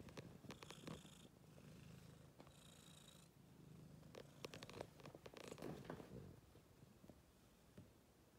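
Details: Domestic cat purring while playing in a laundry basket; a steady, low, rumbling purr runs throughout, broken by sharp rustling and scratching sounds from the basket.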